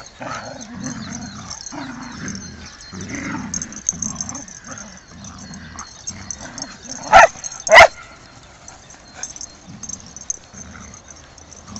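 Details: Two dogs, a six-month-old saluki puppy and a malamute, playing together in Beckenham Place Park; low rumbling growls repeat about once a second, broken by two sharp loud yelps, with a person's voice nearby.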